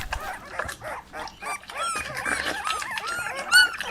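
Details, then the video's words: Puppies tussling over toys on green grass give rapid, overlapping high yips and short squealing barks, tumbling together almost without pause, with one sharper, louder yelp near the end. "Puppies Competing for Toys on Green Grass - Funny Dog Sounds"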